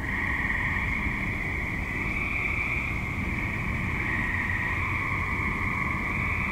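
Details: Active suburban tree frogs calling at dusk into night form a dense, continuous trilling chorus, steady bands of high pulsing notes overlapping without pause above a low rumble of distant traffic.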